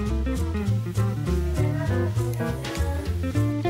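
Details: Upbeat swing-style music with plucked guitar, bass notes and a drum kit plays throughout, and no animal is heard.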